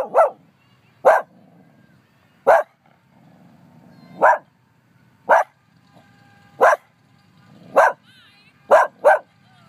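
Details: A dog named Sadie barking at nothing in Humboldt Park: loud, sharp single barks spaced one to two seconds apart, nine in all, with a person's voice faintly in the background.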